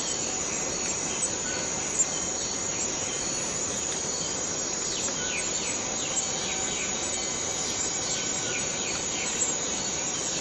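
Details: Cicada droning in the Borneo rainforest, a sustained high shrill tone without pause, overlaid by a run of quick descending chirps from other callers in the middle of the stretch.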